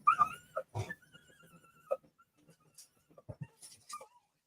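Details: A small female Cocker Spaniel whines and yelps in high, wavering, rising cries, excitedly hollering as she does every time someone arrives home.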